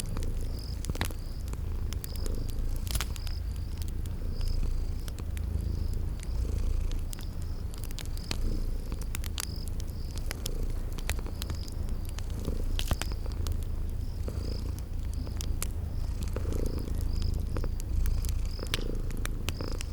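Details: Sleeping cat purring in a cozy spring garden setting: a low, steady rumble pulsing gently throughout, with sharp fireplace crackles and short high cricket chirps repeating every second or so.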